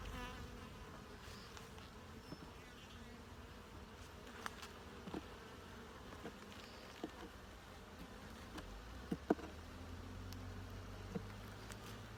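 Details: Steady droning hum of a honey bee colony during a hive inspection, with scattered sharp taps and clicks from frames being handled and a lower rumble late on.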